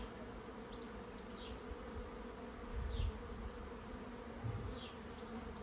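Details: Honey bees of a swarm moving into a trap keep up a soft, constant drone; several thin, high, falling bird chirps repeat over it, with a few low rumbling swells.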